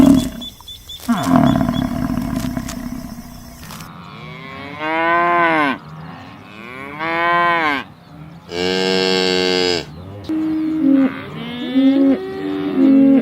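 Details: Cow lowing in a field: after a few seconds of rough, noisy sound, a run of loud, arching moos follows, then shorter, steadier calls near the end.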